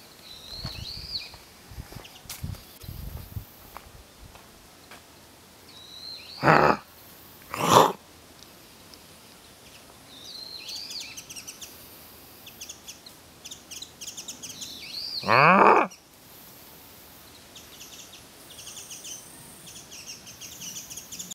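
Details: A wild boar (Sus scrofa) at Hamamatsu Zoo gives a few harsh, rasping grunts, with small birds chirping in the background.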